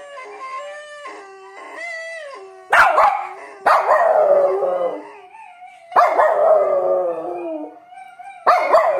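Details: A small dog, tagged as a Maltese or Havanese, howls when prompted by its owners in long, wavering, mid-pitched tones, broken by louder, harsher howling bursts.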